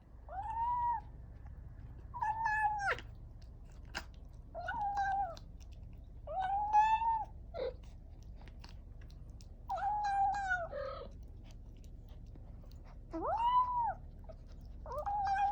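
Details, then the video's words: Kitten eating wet food for the first time after weaning, indoors, giving a run of short, clear meows with a rising then falling pitch, about seven calls spaced one to two seconds apart, with faint chewing between. "Cats make noise when they eat something delicious"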